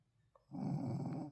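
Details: Tired Shih Tzu dog sleeping and snoring: after a brief quiet moment, one rough, raspy, low breath rumbles steadily for under a second, then stops.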